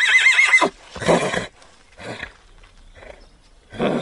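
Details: Horse giving a short, high, quavering whinny with a wavering tone, followed by three or four rough, breathy snorting bursts spaced about a second apart, with quiet gaps between them.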